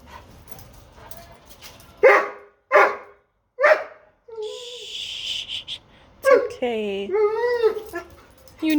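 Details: Upset Doberman trying to get a bone he dropped under a dog bed cot: three spaced barks, then high wavering whines and moaning vocal noises, with a woman speaking nearby.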